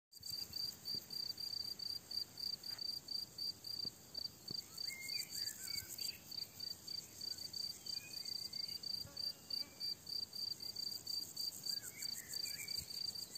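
A dense chorus of crickets fills the air with high, shrill pulses repeated several times a second. Soft, scattered bird notes come through faintly in the background.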